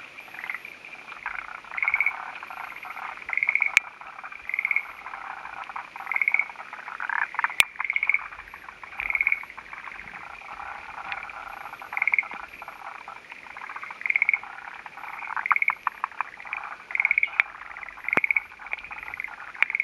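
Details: Male forest green tree frog perched on a branch waiting for a female, recorded on the morning of 28 May 2011 in mountains of Hofu, Yamaguchi, Japan; short rattling croaky bursts repeated irregularly every one to two seconds, about thirteen in twenty seconds, with faint clicks.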